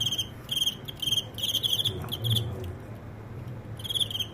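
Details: Crickets during a cricket fight, where one that had the upper hand was beaten in a comeback: bright, pulsed chirps in short bursts, roughly two to three per second with brief gaps, over a low steady hum.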